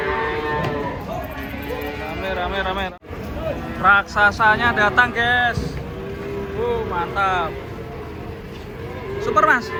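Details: Giant cattle coming down off a truck during unloading: loud, drawn-out harmonic moos, several in close succession from about four seconds on, with people's voices and faint music mixed in.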